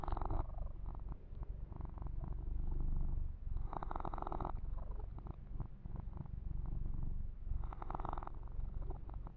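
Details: Purring male kitten Yumak, relaxed under massage and fur grooming; a soft, even, low-pitched rumble runs throughout, broken by three bursts of rough brushing sounds near the microphone.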